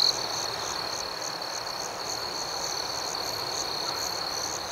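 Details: Crickets at night in a calm outdoor setting, a steady high, thin trill running unbroken through the whole stretch, with a second, fainter pulsing layer above it and soft hiss beneath.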